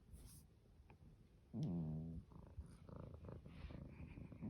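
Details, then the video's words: A Norwegian Forest cat snoring in its sleep: quiet rumbling breaths, then one loud, buzzy, harmonic snore lasting over half a second, followed by faint clicks and soft breathing. "猫のいびき ノルウェージャンフォレストキャット Norwegian Forest cat"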